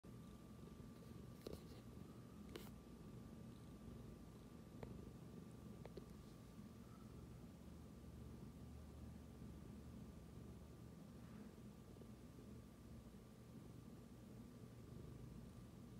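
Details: Tabby cat purring indoors right after smelling its owner's phone: a soft, steady low rumble running throughout, with a faint constant hum and a few brief clicks.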